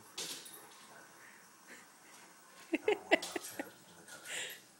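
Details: Scottish Terriers Duncan and BD indoors while a dog show plays on TV: a quick burst of three or four sharp, high yipping barks near the middle, over a low background murmur of television sound.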